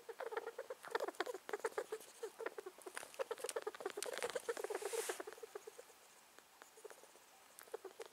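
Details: Male rat that has suddenly started making sounds, possibly ill and thought to be sneezing: rapid runs of short, squeaky, clicking pulses, about four per second, uneven in spacing, with brief louder bursts and quieter spells near the end.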